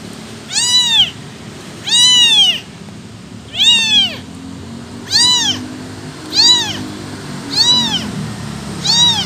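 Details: Abandoned kitten without its mother calling for her: high, arched meows with rich harmonics, seven cries roughly every 1.2 seconds, each rising then falling, over a low steady background hum.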